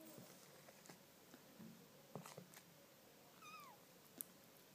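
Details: Three-week-old Maine Coon kittens born 24 October, in 2012, discovering pâté for the first time; one short, high kitten meow slides downward in pitch, surrounded by faint clicks and soft handling noises indoors.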